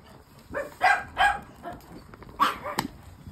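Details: Caged female Shih Tzu in a frenzy indoors, eager to get at castrated chihuahuas. A few yappy barks come in an uneven pair and then a later burst, with faint background noise and a sharp click.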